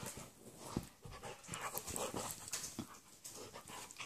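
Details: Excited but gentle Labradoodle Bernie with small Italian Greyhound Brutus; dense, continuous noisy panting with short huffs and rustling movement across four seconds, indoors.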